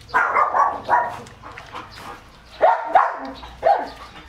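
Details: Excited male German Shepherd x Labrador mix eating raw chicken: a series of short, harsh barks and yelps in close succession, some bunched in pairs, with quiet background noise in the gaps.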